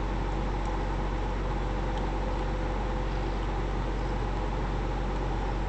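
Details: A 3 lb black female kitten, found abandoned outside and now in foster care, purrs in a deep, steady rumble that continues without a break.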